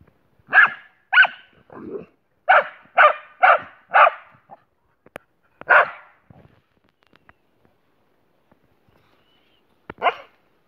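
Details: German boxer dog together with a canine friend, barking loudly. About nine sharp, strong barks come in a fast burst during the first six seconds, with one lower gruff bark among them, a pause, and a final bark near the end.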